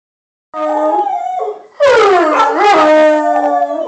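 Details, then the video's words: Domestic dog howling in response to a passing siren: a sustained tonal howl with rich harmonics, a brief dip, then a louder, longer wavering howl that bends downward and holds steady, recorded on a phone. "Dog howling to a siren"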